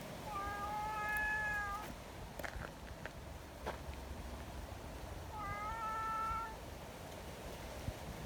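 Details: Friendly community cats meeting outside on a windy day, seeking petting; two drawn-out, clear, slightly rising meows about four seconds apart, each over a second long, with wind noise and a few light knocks between them.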